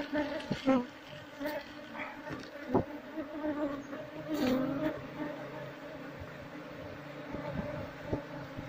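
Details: Asian honey bees defending a wild hive being harvested give an even, humming buzz with a slightly wavering pitch, with occasional clicks and brushing noises from the work at the comb.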